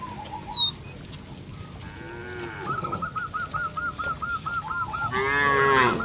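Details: A cow roaming a village field calls its companions to return to the barn. A deep, drawn-out moo comes at the end, after a run of quick, repeated bird notes and a few sharp chirps.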